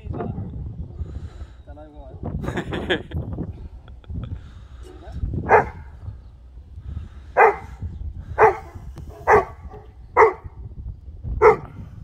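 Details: Cane Corso of formentino colouring in bite sleeve attack training: after people talking, six deep, loud barks ring out singly about one second apart, each a short sharp burst, with background rustle between them.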